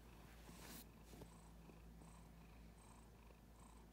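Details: Cuddly female house cat pressed against a leg, purring: an even, low vibrating hum for nearly three seconds that then fades, with brief rustling and soft clicking around it.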